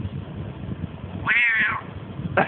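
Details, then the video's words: Cat at home in Russia responding to its owner's Russian-language coaxing to say "quack"; soft murmured speech, then a bright half-second meow that climbs and falls, followed by the start of a second call at the end. "Talking cat!!"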